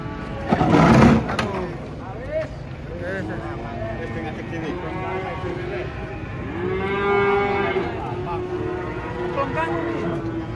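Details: Cattle unloaded from a truck after one jumped and fell; a loud thump, then repeated long moos with rising and falling harmonics, with voices nearby.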